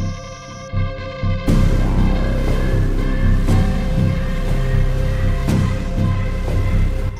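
Dark, throbbing background music with steady low pulses and no animal sounds.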